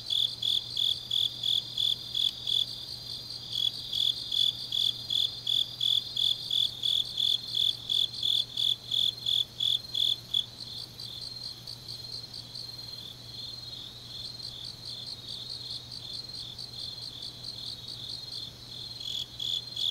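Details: Autumn night chorus of grass insects recorded in Changnyeong, Korea: rapid high chirps pulse evenly for ten seconds, then fade into a softer continuous shimmering trill of several insects, with a faint low hum throughout.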